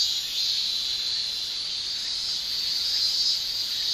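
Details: Summer in Japan, male cicadas producing their tymbal song: an even, unbroken high-pitched drone holding steady throughout, no other voices heard.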